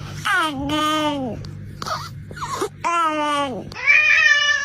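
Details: Cats making strange noises: several drawn-out, richly harmonic meows that rise briefly then slide downward, with short warbling squeaks between them and a faint steady hum underneath.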